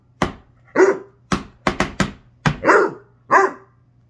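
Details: Vocal Basset Hound barking in short irregular bursts, sharp clicking onsets mixed with longer rough barks roughly every half second, over a faint constant low hum.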